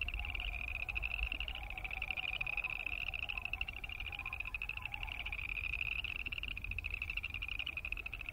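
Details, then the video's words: Many boreal chorus frogs calling together: rapid, grating pulsed trills repeat densely and merge into a bright continuous buzz. A faint lower pulsed sound runs through the first half. "Boreal Chorus Frog sound"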